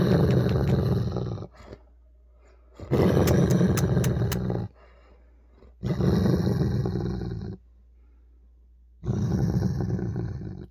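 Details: Male Weimaraner growling indoors on 16 October 2022 while being annoyed over his ball until he snapped: long deep rumbling growls lasting one to two seconds, separated by pauses of about a second and a half.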